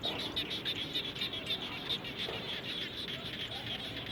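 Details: A frog chorus after rainfall around a home, with bright, slightly tonal pulses repeated rapidly, more than three per second, over a continuous noisy background.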